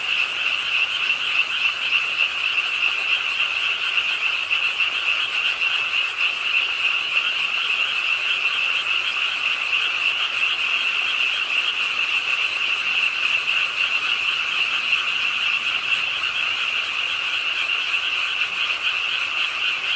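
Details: Many frogs calling together beside an urban park pond in Suwon, Korea, during night rain; an unbroken wall of fast, shrill croaking pulses with no gaps and an even intensity from start to finish.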